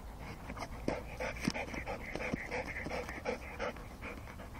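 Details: Rottweilers catching mice, heard as rapid, breathy dog panting. Quick, uneven huffs arrive about three per second, with occasional scuffling in the background.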